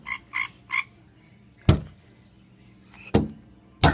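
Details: Frog on a window croaking when someone hits the glass: three quick nasal, buzzy croaks in a row, then silence broken by three sharp thumps from knocks on the window.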